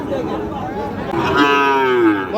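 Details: At Raniganj market on 25 June 2026, among Sahiwal bull calves, one drawn-out moo swells and rises in the second half and holds strongly, with chatter from the crowd beneath it.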